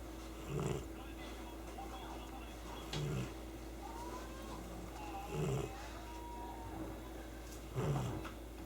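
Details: Snoring from Chii-kun, a pet cat fast asleep, with an impressive snore: four deep, gravelly breaths recur every two to two and a half seconds in a steady rhythm, with a faint whistly tone in the quiet background.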